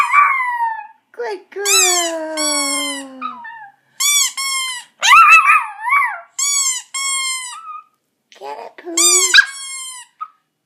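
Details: Poco, a pet Chihuahua, howling in response to a squeaky toy, recorded in August 2014 indoors; long wavering harmonic howls rise and fall in several bursts, broken by short squeaky toy notes and gaps of silence.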